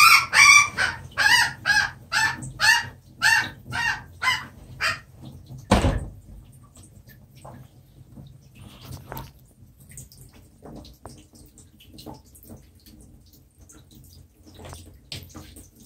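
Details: A rabbit being live-fed to a Burmese python, after it took a big beating and fought back. About a dozen harsh, shrill screams come in quick succession over five seconds, then a heavy thump and faint rustling.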